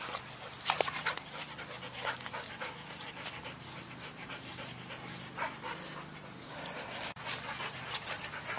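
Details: Soft-coated Wheaten Terrier named Sweedie, a rescue dog, panting steadily in soft breathy rasps, with a woman greeting her affectionately in the background.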